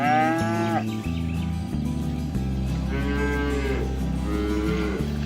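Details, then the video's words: Herded cows in a rural pasture call to one another to return to the barn; a short moo opens, then two more drawn-out lowing calls come a few seconds apart over constant musical accompaniment. "Bunyi sapi lucu"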